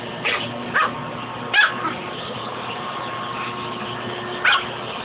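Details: Fuzzy, a pet dog, gives a few scattered sharp barks while fighting the shop vac hose, with long gaps between them and a constant machine drone underneath.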